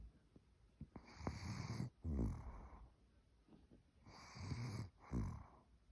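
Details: Cookie, an old Maltese, sleeping and snoring: two paired raspy breaths, an inhale then exhale, repeated about every three seconds, low and grating, in a quiet room.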